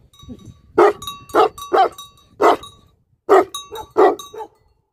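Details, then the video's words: Loud single barks from a livestock guardian dog, spaced unevenly about every half second to a second, with a brief pause midway and soft low noise underneath. "Livestock Guardian Dogs Barking"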